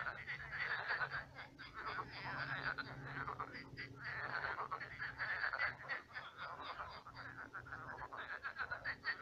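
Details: Night chorus of many frogs in a shrunken pond turned swamp; thick, unbroken rattling croaks overlapping throughout, with brief dips and a low background hum.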